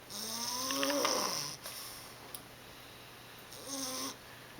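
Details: Monty, an 11-week-old English Bulldog pup, snores while asleep indoors: two raspy breaths with a wavering harmonic buzz, the first long and loud, the second shorter about three seconds later.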